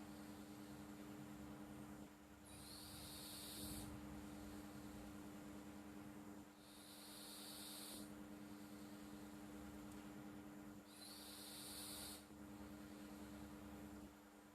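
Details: Pet cat Flo asleep, snoring with three even, breathy hissing exhalations about four seconds apart against a quiet continuous hum.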